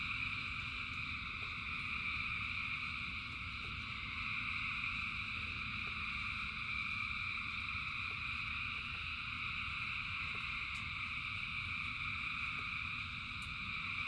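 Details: Thousands of frogs singing in the rain, merging into a steady, dense chorus of buzzy trilling bands held without pause, over a constant low patter of rainfall and faint scattered clicks.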